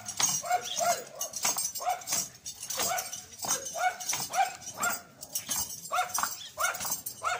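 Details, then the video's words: Loud dog barking at a dancing horse: a steady run of abrupt, rough, mid-pitched barks, often in pairs, repeating through the whole stretch with brief gaps between them. "Dog Barking loudly when Horse was dancing"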